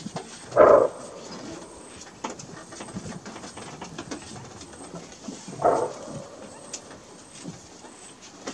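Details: Two hoarse, sudden barks roughly five seconds apart: the alarm call of a greater kudu in Kruger National Park, set against low rustling noise and a faint high insect whine.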